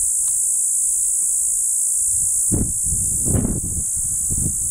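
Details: Hadoa inaudita (formerly Tibicen inauditus) singing from a juniper near Bernal, New Mexico, beside Santa Fe National Forest on a June 30, 2012 afternoon; constant shrill droning buzz, with gusts of low rumbling wind.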